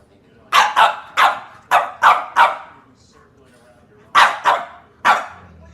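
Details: Puppy barking while playing with and pestering its brothers and sisters: a quick run of six sharp, yappy barks, a short quiet gap, then three more high barks close together.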